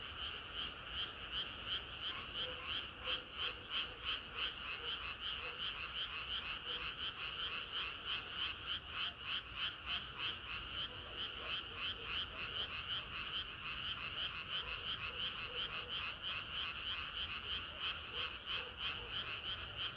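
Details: A dense chorus of frogs on a hot summer night, many voices overlapping in a steady, fast pulsing croak.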